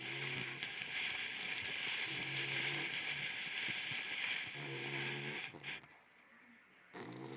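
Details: Rocky, a sleeping Labrador Retriever puppy, snoring. Low droning snores return roughly every two seconds, recorded with a Ricoh WG-M1 camera. A steady hiss of background noise runs underneath.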